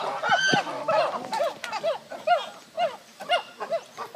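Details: Chimpanzees (Pan troglodytes) at the Ngamba sanctuary give loud, hooting calls that rise and fall, repeated in quick overlapping bursts.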